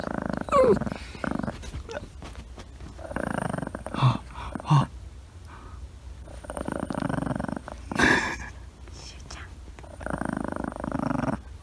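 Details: Two small female dogs, a 1-year-old Miniature Dachshund and a 10-month-old Pekingese-Chihuahua mix, quarrel when one's massage is interrupted, growling in low, rumbling bursts, with soft human voices between them.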